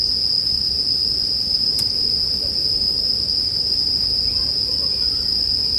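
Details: Bell crickets in a sleep-music mix with a bonfire: a steady, high, ringing insect trill held without pause, over a soft low rumble, with one sharp crackle of the fire near the middle.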